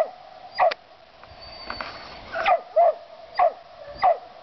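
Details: Mountain cur barking while treeing a gray squirrel: a single bark, a pause with faint rustling and a thin high tone, then four sharp bark-yelps in quick, uneven succession.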